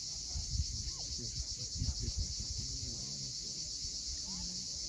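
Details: Sunset chorus of cicadas on Crimea's rocky coast at Cape Fiolent, an unbroken high-pitched hiss-like drone, with low thumping and murmuring sounds and scattered faint lower notes underneath.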